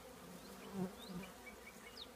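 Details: Honey bee colony living in an old trash can, a steady low buzzing hum with a louder swell near the middle as bees pass close, and faint high chirps of birds in the background.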